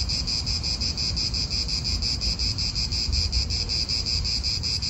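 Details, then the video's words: Cicadas in a park in Italy give a loud, even high buzz beating in quick regular pulses, backed by a low rush of wind and traffic. "italian park ASMR Cicadas wind real atmosphere in an Italian park birds"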